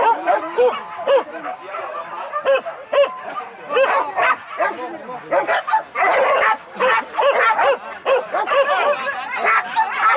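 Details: Hunting dogs trained for wild boar hunts in Anyer, Banten, Indonesia, barking in separate sharp bursts with pauses between, then a louder mass of yelps, while people speak nearby.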